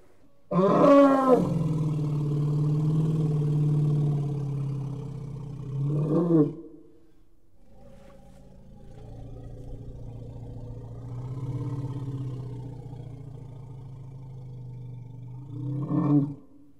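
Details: Elephant calling: a loud trumpeting blast opens, then a long low rumbling drone with harmonic layers, another rising trumpet burst near six seconds, a quieter rumbling stretch, and a final trumpet at the end.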